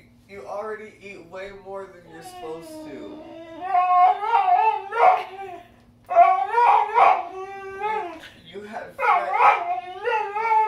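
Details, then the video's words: Vocal Boxer dog whining and grumbling in expressive, wavering phrases: short bent notes at first, then louder, sustained nasal howl-like whines that swoop up and down, separated by brief silences. "Dramatic Boxer Dog"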